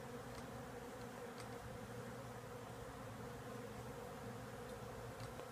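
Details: Continuous dense humming from a large bee swarm lodged in the wooden wall of a house; the even, low drone never varies, while occasional faint taps rise above it.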